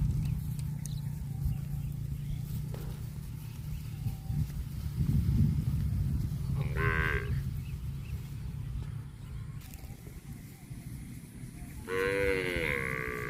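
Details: A cow, apparently grazing on grass, gives two brief, rather high, nasal moos several seconds apart, the second bending slightly downward, over a constant low rumble.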